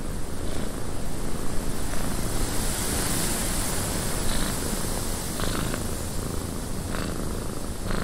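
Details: Cat in a cabin purring steadily, a deep continuous rumble set against gusting wind noise, with brief brighter ticks and taps near the end.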